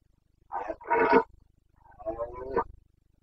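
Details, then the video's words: Carpathian red deer stag roaring (boncănit) during the breeding season in Bucovina, Romania, on 29 September 2022. Two rough, harmonic bellows: a brief lead-in note swells into a loud harsh roar, then a second broken, grating bout, over a low steady hum. "Boncănit / Carpathian stag Breeding season"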